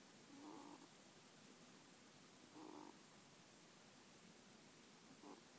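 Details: Faint snoring from a dozing middle-aged pet ferret, filmed on an iPhone, 26 January 2014; three short muffled low puffs, described as 'poo-poo-poo', spaced a couple of seconds apart against a quiet hissing room.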